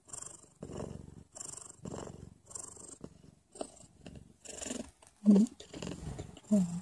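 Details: Pregnant mother cat purring just before her labour begins, a close, rumbling purr broken into regular breathy bursts about every two-thirds of a second, with a couple of sharper, louder sounds near the end.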